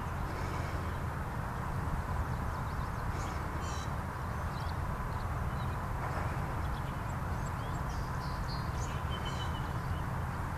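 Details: Honeybees active at a beehive in Lusitania Meadow: a dense, steady low hum with a broad droning band and no pauses. Faint high bird chirps come and go in the background.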